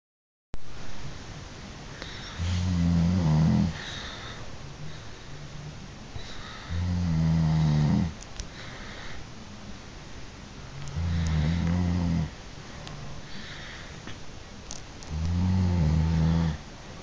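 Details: Grizzly bear (Ursus arctos horribilis), snoring.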